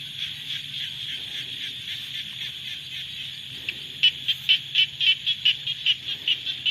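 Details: Rainy-season frog chorus with a steady background of high pulsed trills. After about four seconds one nearer caller adds loud, sharp, evenly spaced notes, roughly two per second, over a faint low hum.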